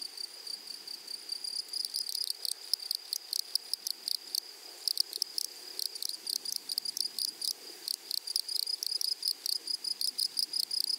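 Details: Grasshoppers in a flowery meadow: a sharp, high buzzing band with rapid pulses in choppy bursts, which grow denser and more regular in the second half. Faint low rustling runs underneath.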